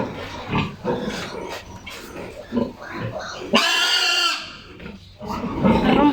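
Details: Sows recently weaned from their piglets, being given vitamins, one receiving two injections: low grunts, then a loud harmonic squeal lasting about a second, followed by more squealing, with a man talking throughout.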